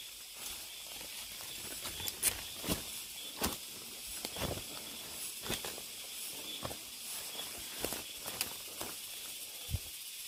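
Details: Cicadas in a deep mountain forest, captured while hiking: a constant bright, hissy buzz carries on throughout beneath a regular rhythm of crunching footsteps, about one every second.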